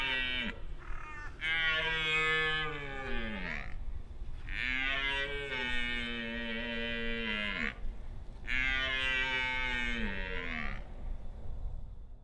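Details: During the autumn rut, a red deer stag gives three roars, each a rich, groaning bellow of about three seconds that sags in pitch as it ends, announcing his presence to rival stags and hinds.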